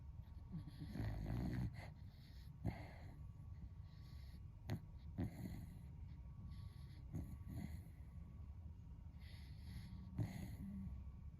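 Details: Sleeping Beagle, a friend's dog, snoring loudly like a human: low rumbling breaths with a stronger snore near the start, then softer, irregular breathing and small snorts in a quiet room.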